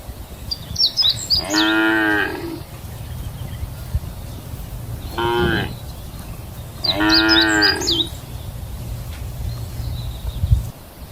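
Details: A group of cows eating lunch together in a grassland field give three long, deep moos, each a rich, drawn-out bellow with a low rumble beneath.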